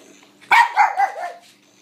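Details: Blind female pug named Mary, excited while playing fetch with a battery-operated noisy ball she tracks by sound; a quick burst of three short, husky, mid-pitched barks, the first loudest, in a quiet room.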